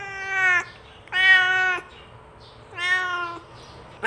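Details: Cat call meant to attract other cats: three long, level, strongly harmonic meows, each about two-thirds of a second with pauses between, and a fourth beginning at the end, over faint hum.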